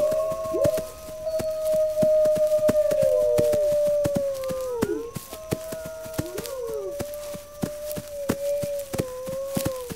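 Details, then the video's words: Wolves howling in long, steady, overlapping tones that hold level and then slide down at the ends, with a second voice joining partway. Sharp, regular clicking taps continue throughout. "Wolves Howling"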